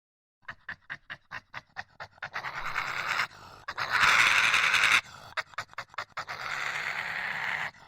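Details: Badger making aggressive noises. Rapid breathy huffs come about two or three per second, then a harsh, sustained hiss fills several seconds before broken into noisy bursts and further rasping hissing.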